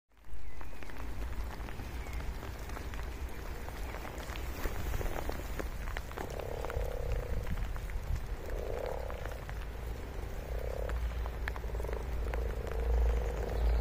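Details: Frogs croak in short, low, nasal bursts, coming in irregular clusters through the second half, over a heavy steady low rumble with faint clicks.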